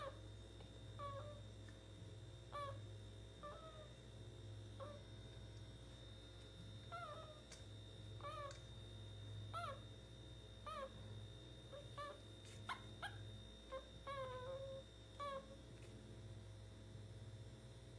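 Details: A meerkat gives short, squeaky chirps that rise and fall, repeated about once a second, while having its belly rubbed.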